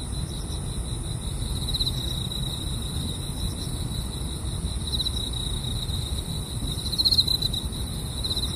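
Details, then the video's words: Insects in the grass at a car-camping spot sing a constant high-pitched trilling drone, with a louder burst of chirping around seven seconds, against a persistent deep background rumble. "차박과 풀벌레소리"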